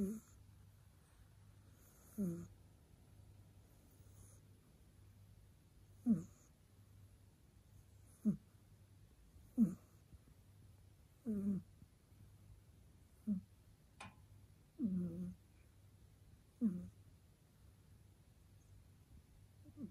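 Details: A sleeping cat snores indoors. Low, rough, throaty snores with a slight whistle come about every two seconds, roughly eight in twenty seconds, over a steady faint hum in a quiet room.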